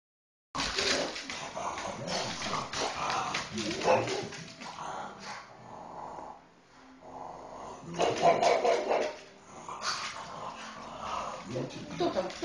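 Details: Pug reacting to an elephant commercial on TV: bursts of excited barking and whining in two main spells with a quieter pause between, over television sound and a faint high tone.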